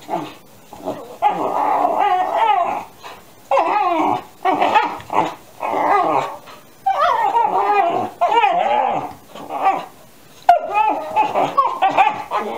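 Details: Two 13-week-old Alaskan Malamute puppies yowl at each other under a chair, their overlapping whines and howls wavering up and down in pitch in short bursts about a second long with brief pauses, which went on for about 45 minutes.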